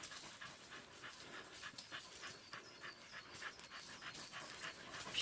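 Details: Young dog in training as a wild-boar hunting dog, exercising in hot summer weather: rapid, breathy panting in quick regular puffs, about three per second, with outdoor background noise.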